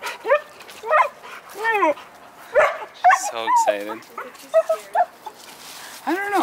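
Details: Dogs at a first meeting between Bruno, a Rottweiler, and Mae, a 12-week-old German Shepherd puppy: a string of high, arching yelps and whines, some with a quavering tremor, sounding every second or so, mixed with a person talking.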